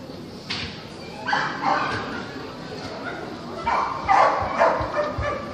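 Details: Kerry Blue Terrier bitches in the open class at the Club Terrier 120-year dog show; short sharp barks in two bursts, around one and four seconds, over a busy indoor hall murmur with voices.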